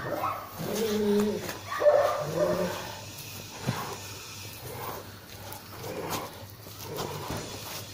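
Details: German Shepherd during a guard-dog protection test, test number 77. Harmonic, tonal barks and whines fill the first three seconds, then quieter, irregular vocal sounds follow with background noise.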